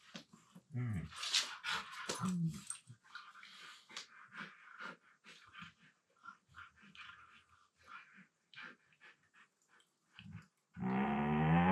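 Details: Pair of Siberian Huskies mouth-wrestling while lying on the floor of a room; scattered short grumbles, snorts and growly bursts, a louder talking moan early, then a sustained harmonic howl-like sound at the end.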